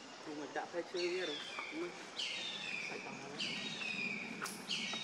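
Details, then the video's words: Baby monkey Leo crying to his mother, hungry and begging for milk: loud, high whistled cries that fall in pitch, repeated about every second, with soft low voices early on. "Ve-ry P-itiful Cr-ying Lou-dly I Lo-vely Monkeys"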